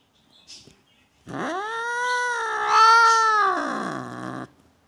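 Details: House cat, said to object to guests at home, lets out one long, wavering, harmonic yowl of about three seconds that swells in the middle and sinks lower at the end, after a brief soft sound.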